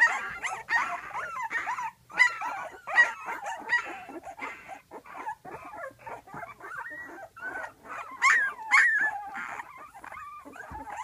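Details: Twelve-day-old pups in a whelping box call noisily for their mother, who is taking a break just outside; many voices of rising and falling whimpers and sharp yips tumble over one another with brief pauses.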